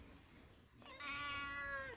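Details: Newly arrived house kitten kept in a cage, crying while other cats are fed: quiet room noise at first, then one long, steady, tonal meow of about a second that dips slightly at its end.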